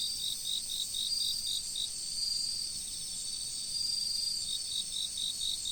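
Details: Autumn insects near a river chirp in rapid, regular pulses at the start and again near the end, over an unbroken high-pitched buzzing trill and a faint background of moving water.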